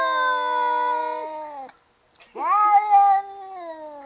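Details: Domestic cats talking to each other: a long, steady, drawn-out meow held for nearly two seconds, a brief silence, then a second yowl that swoops upward and holds level before trailing off. The room is otherwise quiet.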